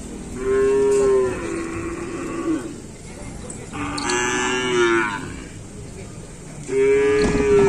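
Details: Cattle at full training for a kerapan sapi bull race on the Asemanis track in Pamekasan, with a crowd present: three drawn-out, steady mooing calls, each about a second long, separated by short gaps and crowd murmur.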